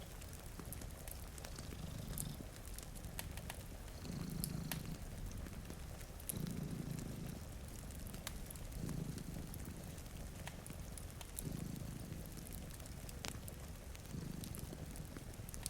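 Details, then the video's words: A sleeping cat purrs beside a rain-streaked window, one of two dozing together. Deep, even rumbles pulse in regular waves roughly every two seconds, with rain hiss and the occasional pop of a crackling fire around them. "Purring Cat"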